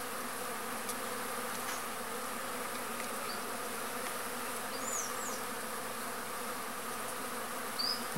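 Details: Stingless arapuá bee (Trigona spinipes) working a pumpkin blossom while pollinating; continuous droning buzz with a few short, thin high chirps from birds scattered through the recording.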